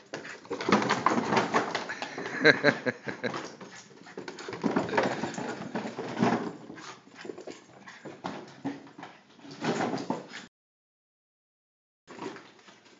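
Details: A female Boston Terrier gives bursts of rough, harsh barking and growly yaps indoors at a Coca-Cola box she hates.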